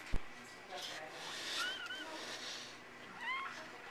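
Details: Four newborn healthy puppies; thin high rising-falling squeaks, two around the middle and another pair near the end, over soft background hiss and a brief knock at the start.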